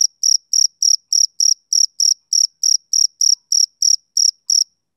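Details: Short, shrill chirps from a male cricket on a summer evening, each pulse crisp and metallic, repeated about three times a second in a regular rhythm against silence.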